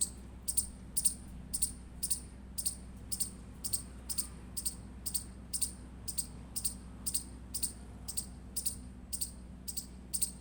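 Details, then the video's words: Indian palm squirrel chirping: sharp, very high-pitched chips repeated steadily about twice per second, each a short bright click, over a constant low background hum. "Indian Squirrel Chirping Sound Effect"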